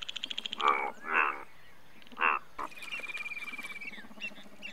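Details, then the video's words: Indian bullfrog, largest frog of India; a few loud, rasping croaks, then a fast ticking chorus and a long whistled tone from other animals. "Indian Bullfrog"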